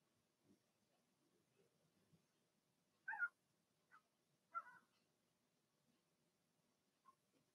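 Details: Cavalier King Charles Spaniel puppies, a Blenheim litter of two females and four males in a home puppy pen; a handful of short, high whimpers and squeaks come in a loose cluster midway, over a low background hum.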